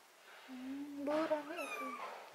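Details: Cat having botfly larva, ringworm, fungus and blackheads removed from its skin, giving a drawn-out wavering meow that rises into a higher wail, with a sharp sound at the end.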